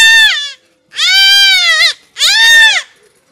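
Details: Goat kid bleating while being castrated: three loud, harmonic, slightly arched bleats, each under a second, separated by short silent gaps.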